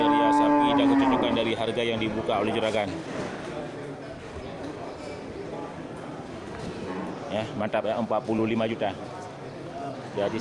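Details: Large local cattle at the Geurugok livestock market on 29 March 2022, in the final week before Ramadan: a loud, steady, drawn-out moo of about a second opens, then fades into the busy chatter of market voices.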